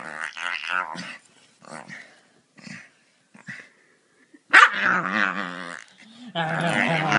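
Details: Male Staffordshire Bull Terrier playing and getting his belly rubbed: a series of short huffing grumbles and snorts, then a sudden loud bark-like growl sliding into a long rumbling moan, followed by another harsh growl.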